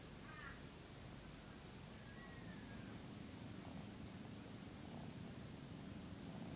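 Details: A 13-week-old male Maine Coon kitten purring while licking and grooming its owner, who says it woke them at 6am by cleaning them; a steady low rumbling purr runs throughout, with a few faint higher chirp-like sounds near the start.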